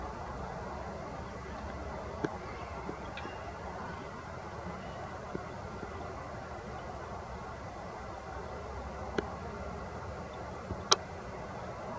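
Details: Low steady rumble of traffic or wind outdoors with a few faint clicks and one sharp tap, no animal voice heard.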